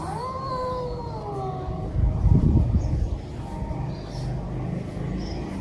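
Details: Cats in anger caterwauling at each other, captured live: a drawn-out, high wavering yowl that slowly sinks and fades, over heavy low rumbling noise with a burst of clatter midway.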